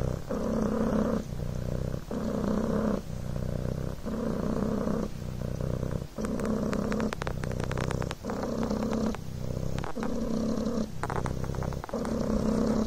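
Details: Devon Rex kitten Coco purring on a blanket, a low buzzing rumble that pulses with each breath about once a second, and light clicking or rustling sounds in the middle section.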